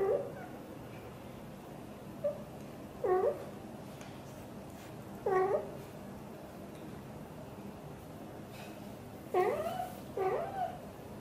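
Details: Blue golden British Shorthair mother Xaxa chatting with her tiny kitten Piano indoors: four short chirping meows, each bending down then up, spaced irregularly over about eleven seconds against quiet room hiss.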